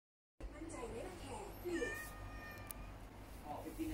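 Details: Hungry stray cat dropping by to ask for food, as if visiting a convenience store, then leaving after eating; a soft, sweet, drawn-out harmonic meow rises and falls near the middle, over a low indoor hum.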